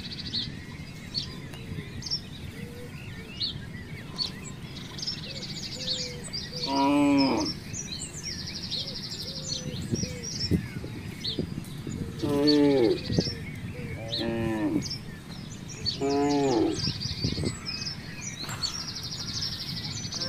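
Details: Free-roaming village cattle wandering through a housing complex give four short harmonic moos, rising then falling, spaced several seconds apart. Small birds chirp and twitter constantly in the background with steady outdoor noise.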